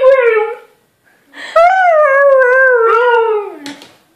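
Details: Siberian husky howling indoors: a short tonal howl, a pause, then a long sustained howl that wavers slightly and slides gently downward for about two seconds, ending in a brief rough yelp.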